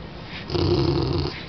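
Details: English Bulldog indoors giving a short, low rumbling snort or growl, about one second long, rough and noisy with a steady throaty texture, rising abruptly and fading at the end.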